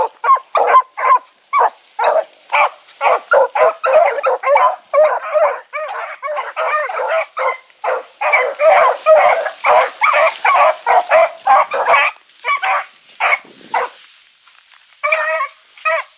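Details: Evening run of the Blackreek pack, four hounds (Choco, Dino, Johnny Ringo, Mingo), 16 August 2014. Long stretch of fast, irregular barking from multiple dogs, densest in the middle, easing to scattered barks and a short lull near the end.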